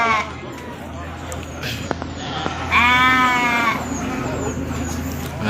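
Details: Male goats at the Pahonjran goat market in Majenang: one loud, wavering nasal bleat of about a second, preceded by a man talking and market chatter.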